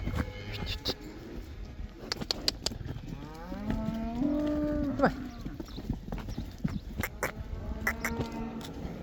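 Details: Cattle let out onto pasture in the Netherlands, the cow dance; amid clattering hoof and handling noise, one clear moo swells and holds for about a second, with a fainter moo later.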